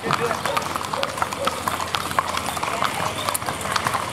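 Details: Brief stretch of a Criollo horse parade in Pampayasta at dusk, 3 December 2016: sharp, irregular hoof clops beneath a man's Spanish greeting and a bustling street crowd.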